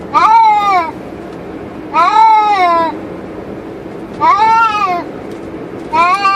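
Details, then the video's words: Two cats inside their cage in a car cruising on a highway, giving drawn-out, wavering meows, four calls roughly every two seconds, over a steady low road rumble. "Cats Make Funny Noise While In Car"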